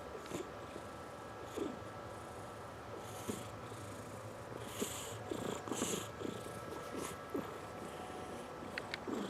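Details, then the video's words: A fat domestic cat snoring while napping indoors, soft rhythmic breathy snores repeating roughly every second over a steady low hum, with faint hissy noises. "Cute Cat Snoring"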